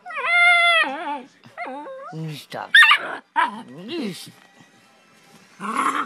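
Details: Pit bull puppy, a family pet, arguing back at its owner: long wavering high whines with bending pitch, then short yips and grumbling mutters, a woman's voice breaking in between.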